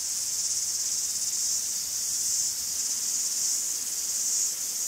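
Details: Greek forest cicadas keep up a continuous shrill, buzzing drone, its loudness wavering gently in soft surges, with nothing else clearly heard.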